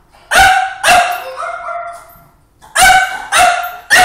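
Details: A French Bulldog barks at a video of himself and at his reflection in a refrigerator, giving loud, harsh barks in two bursts with a softer whining tail between them.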